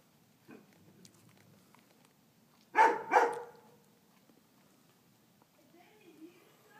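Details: A Tibetan Mastiff named Jaap, fond of bread, gives two quick deep barks in close succession indoors, with otherwise quiet room noise.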